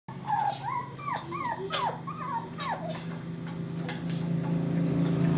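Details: Several puppies in a home's living room: quick high whimpers and yelps, each sliding downward, following one another rapidly over a steady low hum.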